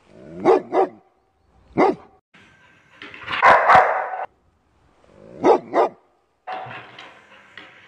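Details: Dog or puppy barking in short bursts, paired yips and single barks separated by pauses of a second or more, with a longer rough, noisy bark near the middle.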